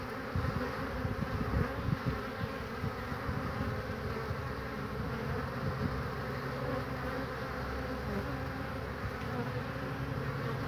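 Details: Honey bees flying in and out at their hive on a nice day in March 2019, carrying pollen: a constant low drone with brief close wingbeat buzzes swelling in the first seconds.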